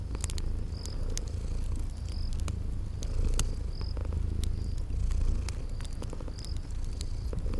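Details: A low continuous purr from sleeping kitties pulses gently with their breathing, while fireplace crackles snap across it and brief high insect-like chirps recur every second or so in a cozy spring garden setting.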